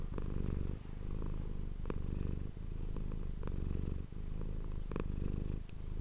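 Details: Purring domestic cat recorded on an ASMR microphone, a dense low vibrating drone rising and falling with each breath about every one and a half seconds, dotted with faint clicks.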